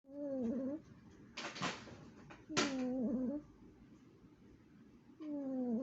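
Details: A sleeping Chihuahua snoring: whistling, wavering nasal tones with overtones, each lasting under a second and recurring about every two to three seconds, with brief rustling bursts between breaths.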